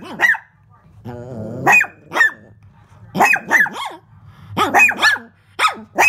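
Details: Shih Tzu barking indoors at its own reflection in a window: short sharp barks with rising-falling tones, in bursts roughly every second, mixed with a woman speaking softly to the dog.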